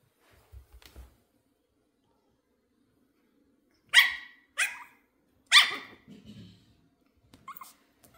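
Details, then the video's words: Female Pomeranian puppy barking with excitement on meeting new kittens for the first time: three sharp, high, yappy barks in quick succession midway, then a faint short yip near the end, with soft thumps at the start. "My puppy barks with excitement when she sees new kittens!"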